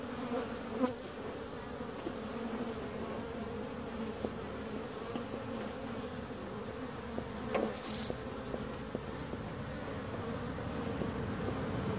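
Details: Bees buzzing in a steady, many-layered hum with low droning bands, a few brief clicks and ticks scattered through, loudest at about the first and eighth seconds.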